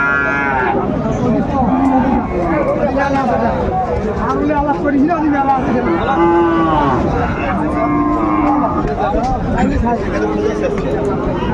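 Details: Busy Aftabganj cattle market in Dinajpur, Bangladesh, where Sahiwal bull calves change hands on 1 July 2025. Several wavering, bending moos follow one another across the stretch over a constant hubbub of buyers and sellers.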